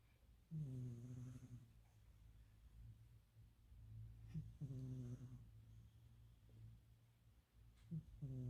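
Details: Loud snoring from a sleeping house cat: deep, rattling, harmonic snores on each breath roughly every three and a half seconds, with faint breathing noise in the pauses, heard indoors.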